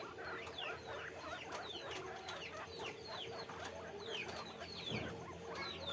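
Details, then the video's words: Many guinea pigs kept on a farm give dense, overlapping high squeaks, each sliding downward, in a busy chattering chorus over a faint background hum. "guinea pig sound, guinea pig noise"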